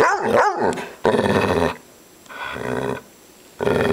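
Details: Upset female dog growling in harsh, buzzy bursts about half a second to a second long, separated by short quiet gaps, the sound broad and rough with a snarling edge.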